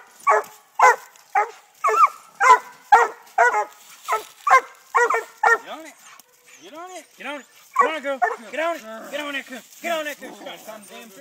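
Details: Treeing Walker Coonhound pups, six months old, bay at a live-trapped raccoon on a tree while training in Texas. Sharp, evenly spaced barks give way to drawn-out, rising-and-falling bawling yelps repeated in quick succession.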